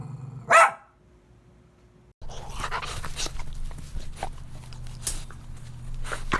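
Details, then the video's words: Playful puppies on a green meadow: one loud, sharp bark rings out early, followed by a quiet gap, then steady rustling, low hum and faint scattered sounds of the dogs moving about. "Dog barking sounds"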